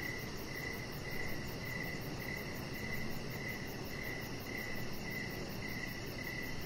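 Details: On an outdoor deck at evening, crickets keep up a regular series of high, short chirps, spaced a little over half a second apart, with a soft continuous noise floor underneath.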